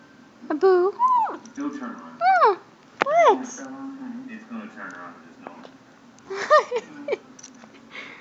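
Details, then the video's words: Abu, a Chinese Crested Powderpuff, howls along as though singing; a Papillon named Elphie tries to join in. Short sweeping, wavering voiced howls rise and fall in brief bursts separated by pauses, with softer vocal sounds between them in a small indoor room. "Chinese Crested Powder Puff Sings and Papillon Attempts to Join"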